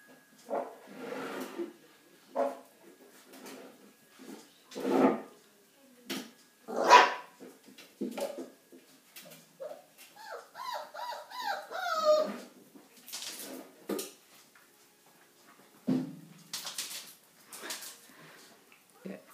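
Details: Blue whippet puppies indoors: a string of short sharp yelps and barks, then a wavering, harmonic-rich whine rising and falling for a couple of seconds, followed by more scattered yips; a person speaks briefly.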